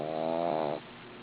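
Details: A sleeping female dog snores: one buzzy, harmonic-rich rasp of under a second that fades out, followed by quiet room hiss.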